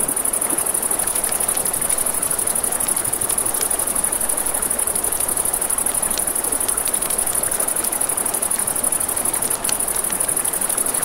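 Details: By a river after dark, crickets keep up a constant, fast-pulsed, high trill. Frequent crackling and popping from a campfire and the steady wash of water run beneath.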